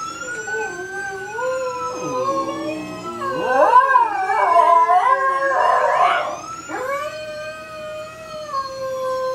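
A dog howls in long, wavering tones that rise and fall, sounding almost like singing.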